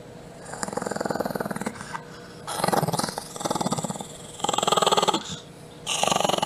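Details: Chihuahua named Butch growling in rhythmic, pulsed bursts, several grumbling runs of about a second each separated by short pauses, indoors with no other clear sounds.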